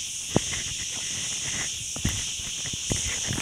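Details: Along the Ghafsai forest road in Taounate province, crickets sustain a constant high-pitched drone while slow, irregular footsteps or taps sound a few times beneath it.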